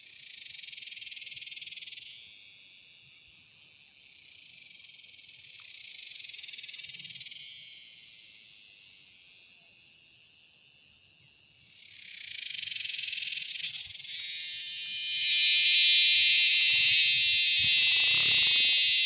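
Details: Dog-day cicada buzzing: a loud, high, steady drone that rises and falls in waves, dips midway, then surges into a harsher, stronger whine for the final seconds, with faint rustling underneath.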